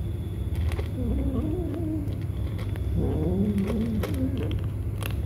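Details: Kittens at feeding time in an eating battle, giving low, wavering, drawn-out calls that bend up and down in pitch, in several overlapping phrases over a steady low hum with faint clicks.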